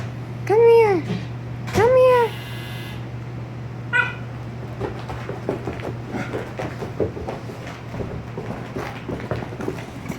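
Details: Oscar, an 18-week-old German Shepherd-Husky mix puppy, throwing a temper tantrum after his bath: two arching, rising-then-falling whining yowls in the first two seconds, a brief yelp near four seconds, then softer rustling over a steady low hum.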